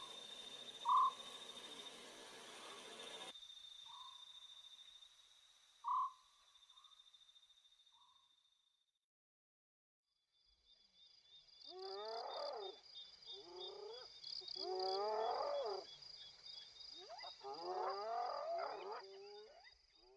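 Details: A spotted hyena adult with a cub, very close, in Kruger National Park, gives soft, harmonic whining calls that slide down in pitch, with a steady high insect drone behind.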